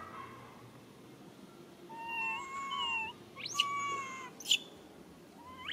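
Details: Young monkey calling for its mother with sad cries: a long wavering whine that bends up and down, then sharp rising squeaks and a steadier tonal note, with soft broadband noise behind.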